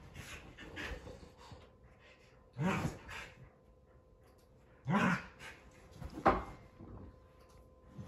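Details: A Keeshond and a Boston Terrier wrestling in play on a couch at home: three short, harsh, noisy growl-like bursts spaced a second or two apart, with soft scuffling and quiet gaps between them.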